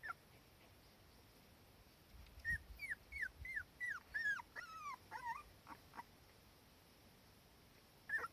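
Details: Young Cardigan Welsh Corgi lying with her mother in warm sunshine, uneasy without her mother close by, gives a quick string of about ten high, falling whimpers, closing with lower drawn-out whines and one last cry at the end.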